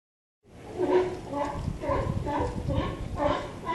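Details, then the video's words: Sea lions near a harbour pier on the California coast, 18 November 2011, give harsh, stacked barks in quick succession, roughly two per second, over a low rumble of surf and wind. "أسود البحر قرب رصيف الميناء"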